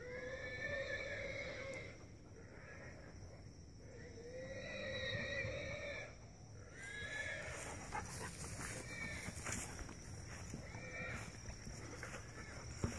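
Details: In brush near a coffee tree farm in Holualoa, Big Island, Hawaii, a pig gives disturbing, long, high, harmonic squeals lasting a second or more each, with rustling and clicking building behind.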